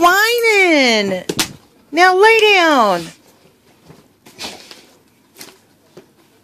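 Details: Tank the dog whines indoors, jealous while its owner plays with a squirrel: two long, arching, harmonic whines, each rising slightly then sliding down, followed by soft knocks and faint room sounds.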